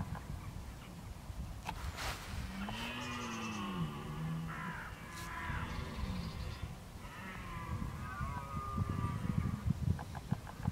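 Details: Red deer in October 2014, bolving as the rut approaches: a low moaning roar that swells and then falls away, joined by rougher harmonic groans, with crow-like calls and wind noise behind.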